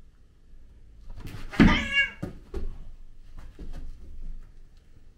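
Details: Two male cats, a grey British Shorthair and a black-and-white cat, play fighting indoors; one loud drawn-out meow with bright harmonics near the start, then scuffling thumps and softer short sounds.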